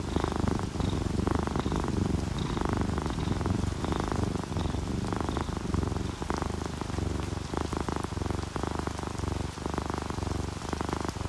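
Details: A sleeping domestic cat, orange tabby or calico, purrs contentedly. A deep, continuous rumble carries on beneath steady rainfall and scattered drips, with the purr's rhythm partly blurred by the rain.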